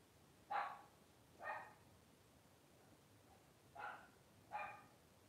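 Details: Blenheim Cavalier King Charles Spaniel puppy from a five-pup litter, twelve days old, born New Year's 2023 to Paris and Spike. Four brief harmonic squeaks arrive in two pairs, separated by a silent gap, in a quiet room.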